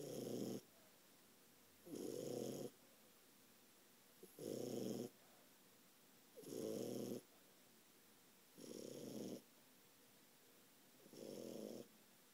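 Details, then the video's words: Ralphie the French Bulldog, a 4-month-old puppy, snoring heavily in his sleep, six gravelly, rattling snores at a steady pace of about one every two seconds, each under a second long, with silence between. "Ralphie the French bulldog snoring"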